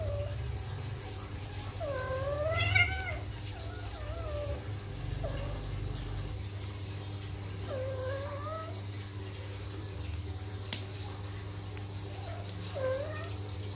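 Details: A flat-nosed Persian cat in heat, during mating, gives long, wavering, drawn-out yowls, repeated every few seconds.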